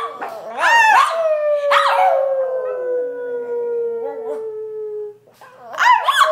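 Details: Brussels Griffon named Chloe, prompted to sing, gives a long sliding howl that starts high and falls slowly over about four seconds, with yips before it and a rising wavering cry at the end.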